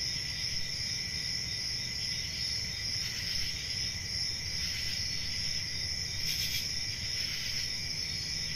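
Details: Night-time cricket chorus in a summer forest, continuous shrill ringing trills layered at two pitches, with brief brighter bursts near the end and a soft low hum underneath.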